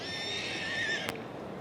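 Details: Welsh Cob, a two-year-old filly or gelding, giving a high, tremulous whinny with bright harmonic bands that rises slightly before breaking off, followed by a sharp click.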